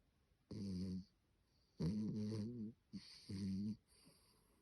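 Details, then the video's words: A Maltipoo dog snoring: three drawn-out, rough, droning breaths with a buzzy, harmonic rasp, each lasting about half a second to a second, separated by short quiet pauses, with a faint high hiss over the breaths. "snoring Teddy the maltipo"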